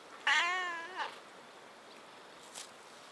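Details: A domestic cat, one of three pets (a tuxedo, an orange and a mackerel tabby), lets out one clear, drawn-out meow that slowly fades, with a brief soft squeak afterward and quiet room sounds on a weekday afternoon.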